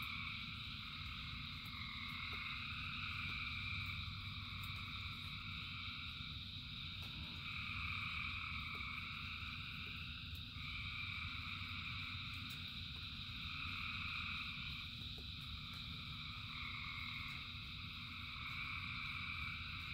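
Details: Dense chorus of frogs calling in rain, layered steady trilling bands in the upper range with faint rising notes near the middle, a continuous low rumble underneath, no pauses throughout.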